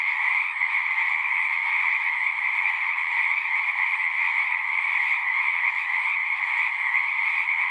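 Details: Singing frogs heard as an unbroken chorus, a buzzy, trilling texture of many voices stacked in two pitch bands, steady in volume for nearly eight seconds with nothing else audible.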